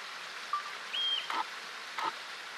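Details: Yellow-bellied marmot (Marmota flaviventris), the "whistle pig", gives a high-pitched, level whistle and short sharp chirps when worried, an alarm call warning other colony members of possible danger.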